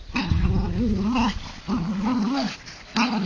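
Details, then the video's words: Jack Russell Terrier named Bizsu and Mallorcan Bulldog (Ca de Bou) named Lujza growling during a playful rope tug-of-war; three rough, wavering growls, each over a second long, separated by short pauses. "Bizsu a Jack Russel Terrier és Lujza a Mallorcai Bulldog kötélhúzása"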